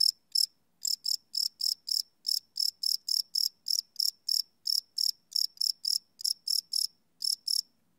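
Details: High ringing cricket chirps at night, recorded live with a Sony PCM D100 field recorder, pulses about three to four per second with short irregular pauses and a very faint low murmur.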